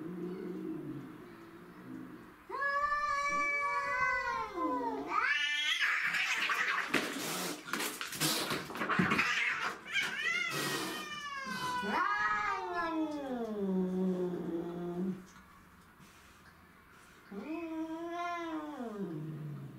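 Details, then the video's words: Domestic shorthair cats fighting over territory, Tom, Mimi and a grey-and-white neighbourhood stray: long wavering yowls that rise and fall, broken in the middle by a burst of harsh hissing and scuffling noise, then further drawn-out moaning howls. "Cat Fight"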